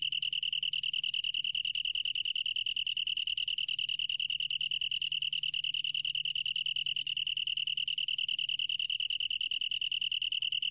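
A long-tailed tree cricket sings a steady, high, pure-toned trill without a break.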